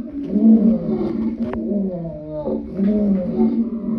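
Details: Lion giving a loud, deep, drawn-out moaning call with a strong low tone, swelling and easing twice across the few seconds.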